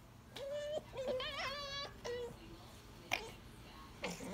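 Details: Ivy, a 19-week-old pet grey fox kept indoors, gives a run of high, steady whines rich in overtones, one wavering and warbling, separated by short pauses, with a few sharp clicks near the end.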